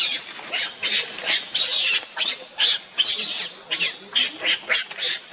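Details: Monkeys Luna, Rainbow and baby Luno, as Luna runs fast carrying Luno while Rainbow tries to take him away: shrill, high squealing calls in short bursts, roughly two per second, for several seconds.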